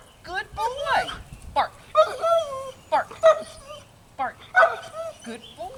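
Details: Pet dog barking on cue during trick training, rewarded with cookies: short sharp barks and yips come in quick bursts, mixed with a trainer's repeated spoken commands and praise.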